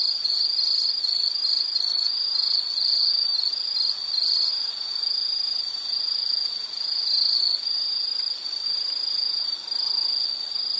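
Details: Steady high-pitched insect trill, mostly continuous with faint pulsing and a few brief dips, sustained for over ten seconds with no other notable sounds.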